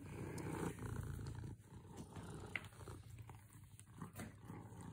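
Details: A contented domestic cat purring close up: a low, rough, steady rumble in rhythmic breathing phases, strongest in the first second and a half, then softer, with faint rustling.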